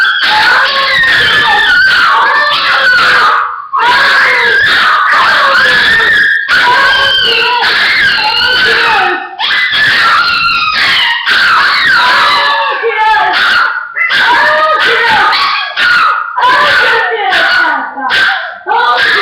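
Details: Several pet dogs howling together in a loud, overlapping chorus of wavering, sliding tones that rise and fall, voices weaving over one another almost without pause, with only brief gaps.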